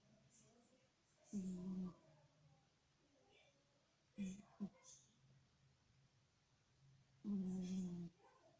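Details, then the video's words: Domestic cat snoring indoors in a quiet small room: three low, rough, droning snores spaced roughly three seconds apart, each swelling then fading, with near silence between breaths. "как храпит кот?"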